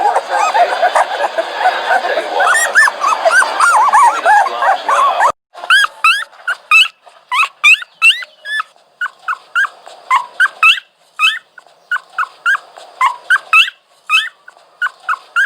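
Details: Dog whining, opening with about five seconds of dense, overlapping noisy whimpering, then a quick string of short, sharp, upward-bending whines and yips, roughly three to four per second with brief gaps.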